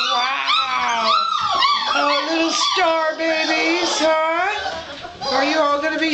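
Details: A litter of six-week-old puppies giving overlapping high, wavering whines and little howls that rise and fall almost continuously, while a woman speaks to them warmly nearby.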